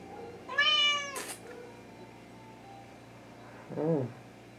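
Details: Hungry Thai cat (Wichienmaat) indoors; one loud, long, rich harmonic meow that rises then falls, a short noisy burst after it, then a lower, shorter meow near the end, with faint background hum.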